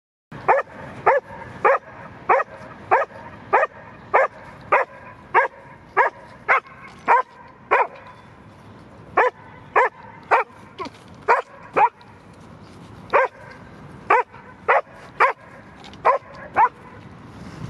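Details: Dog named Henry at a park, barking excitedly after spotting a squirrel: sharp, loud barks in a fast, uneven series of roughly two per second, with brief pauses near the eighth and twelfth seconds.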